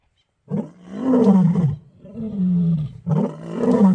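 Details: Two male lions marking territory in Kruger National Park: a deep, rough roar begins after a brief silence, swelling into moaning low grunts that fall in pitch, then a second roar rises near the end.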